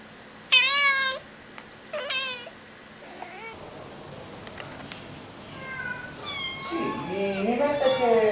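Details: Cat giving two short rising-falling meows early on, then a quieter stretch of muffled room noise, followed by louder wavering cat-like cries mixed with a person's voice toward the end.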